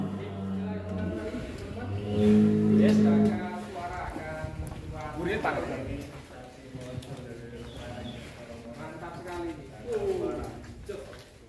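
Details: Deep, steady, droning moo from Jaka Swara, a giant cow at Sabarudin Farm in Indonesia, being taken out of its stall after a long time; men talk over it with music in the background.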